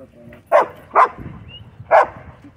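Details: Dogs at a dog park, a German Shepherd annoying a pit bull mix: three short, punchy barks, two close together and a third after a pause, with people chatting quietly in the background.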